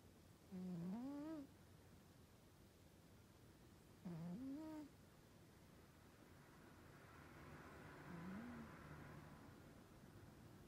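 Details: Asleep Norwegian Forest Cat snoring: three low, nasal, tonal breaths with a rising-falling whine, about every three to four seconds, the last one softer, in a quiet room.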